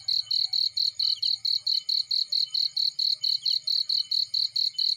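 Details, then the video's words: Field cricket sounds with a warm fire burning: bright, piercing chirp pulses in a fast even rhythm, roughly four a second, with a quiet low crackle fading in and out below. "Burning with Cricket Sounds"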